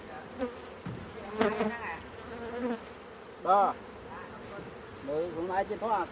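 A honey bee's droning wing buzz swells and fades as it passes close, with faint voices behind.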